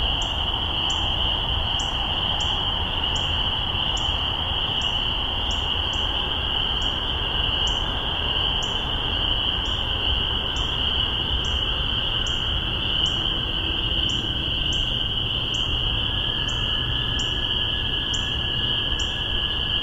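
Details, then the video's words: Massachusetts spring peepers, spring 2015, spaced omni MXL 603 microphones and Tascam DR-40: sharp upslurred peeps repeated rapidly, roughly two per second, from a close caller above a constant high ringing chorus, occasionally doubled by a second frog. "Spring Peepers"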